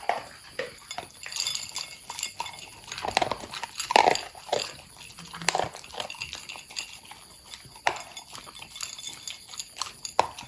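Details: Two pet long-haired Corgis feeding from bowls of kibble, egg yolk and mussel freeze-dried treats; loud, frequent crunching and clattering chews, some bursts clustered, continuing steadily.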